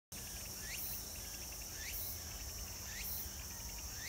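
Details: Cicadas at Meiji Jingu shrine on 17 September 2018 drone with a steady high buzz, broken by rising chirped sweeps repeating about once a second.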